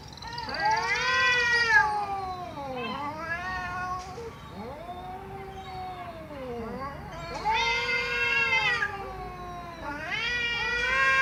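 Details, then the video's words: Domestic cat meowing loudly with long, bending, yowling cries, some sliding down in pitch, others rising harsh and bright, four or five drawn-out calls in a row. "Cats Meowing Loudly"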